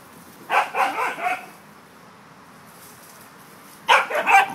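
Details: Three corgis at play outside on an October day give two bursts of rapid, overlapping barks, each lasting under a second and separated by a pause of about two and a half seconds, against a soft background hum.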